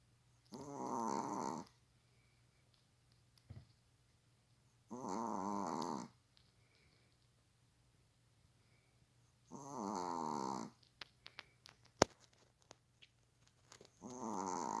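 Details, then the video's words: Pet dog lying like a person asleep on the sofa, snoring heavily: long rasping, buzzing snores about a second each, repeated roughly every four to five seconds, with quiet breaths and a few small clicks between. "사람처럼 누워 코고는 강아지 모습(애완견 코골이)"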